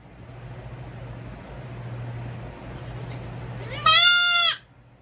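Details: Baby goat kid bleating while hooves are trimmed: after four seconds of quiet low hum, a single loud, high, harmonic-rich bleat rises briefly then holds steady for about half a second before cutting off.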